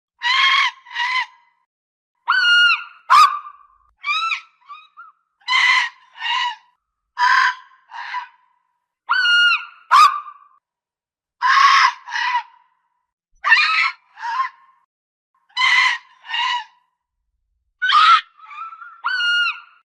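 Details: Fox giving a long series of short, hoarse, harsh barks, mostly in pairs with brief gaps between them, each bark rough and strained with a slight upward break, in an otherwise quiet setting.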